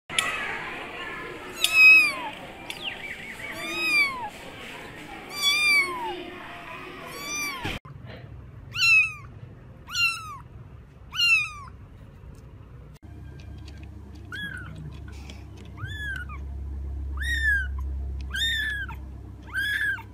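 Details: Kittens meowing in a compilation: a run of short, high, arched mews repeating about once a second, in three segments with changing background hum.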